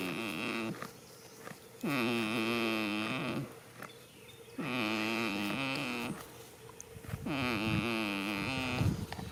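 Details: Goat sleeping outdoors in a field on the first day of spring: three long, droning, wavering snores roughly every three and a half seconds, each a buzzy nasal groan, with softer breathing between them.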